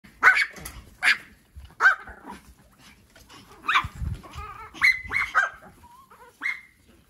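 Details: Pomeranian dogs: several sharp, high yapping barks spaced under a second apart, followed by whiny, rising yelps and a final short yip.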